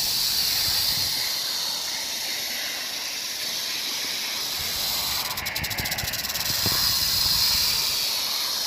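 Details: Rattlesnake recorded on 1 July 2018, a steady, dry, hissing buzz of rattling that runs unbroken throughout and swells slightly near the end, with a short burst of rapid clicking partway through.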